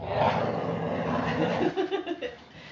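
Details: Afternoon play-fight between puppies Mama Valentine and Hoyt, four weeks and four days old, March 18, 2013: a harsh, rolling growl opens strongly then breaks into short gruff pulses that fade out.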